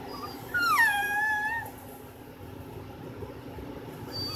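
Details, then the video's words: American Bully puppy, a little female, gives one whining cry that starts high, drops and levels off over about a second, then quiet room hum; a person speaks afterwards. "Bully Noises"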